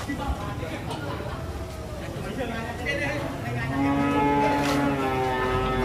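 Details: Large cattle being unloaded from trucks in Indonesia give a long, drawn-out moo with stacked harmonic bands, swelling louder toward the end, over low rumbling background noise and faint voices.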